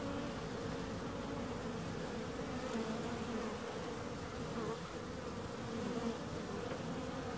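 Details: Constant buzzing of bees, an even, unbroken hum with shimmering mid-range bands and no pauses.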